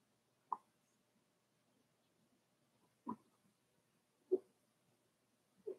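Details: Four-week-old Cavalier King Charles Spaniel puppies, Daisy's litter, in an indoor puppy pen: four short, soft squeaking yips spaced irregularly about a second or more apart in a quiet room.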